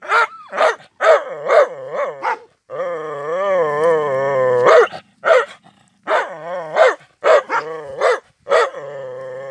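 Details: Rottweiler; bark and growl; anger, aggression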